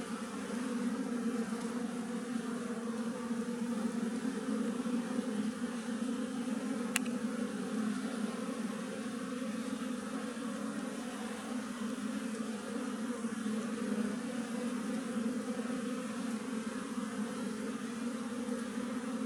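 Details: Many western honey bees of a wild colony living in a tree, a dense unbroken droning hum holding steady for the whole stretch, with one brief sharp click partway through.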